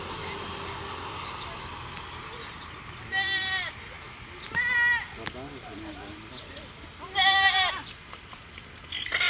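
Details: Goats, kept at home and described as harmless but mischievous, give three short, quavering, nasal bleats spaced a couple of seconds apart, over a steady background hiss with faint voices.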